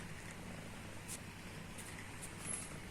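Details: Mimi the house cat snores in her sleep with a deep, even, throbbing rumble that holds steady throughout, with a few faint clicks over the top.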